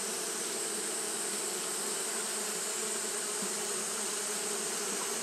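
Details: Japanese honey bees fanning on a hot day create a thick, constant buzz with a low droning core and a slight wavering, over a uniform high-pitched hiss.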